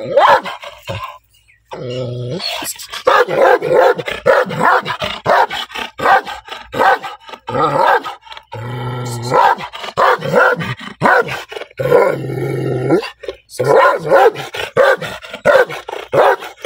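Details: Angry black dog producing loud, coarse barks in dense rapid volleys, interrupted several times by a low humming drone, with short quiet breaks between bursts.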